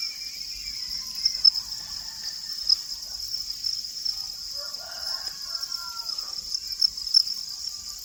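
A cricket keeps up a continuous, high-pitched trill that holds the same shrill note from start to finish. Faint, softer sounds drift in the background beneath it.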